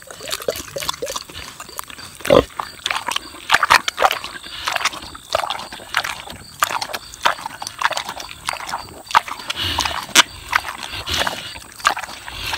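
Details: A six-year-old boar pig smacks on juicy tomatoes, tasting the produce: continuous quick, crisp chewing clicks and wet snaps, several per second, with a few louder juicy smacks standing out.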